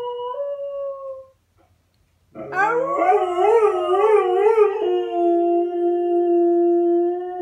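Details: Pinto, a pet dog, howls in long drawn-out tones; after a brief pause comes a rich, quavering howl with undulating pitch that settles into a steady, held note, seemingly with overlapping voices.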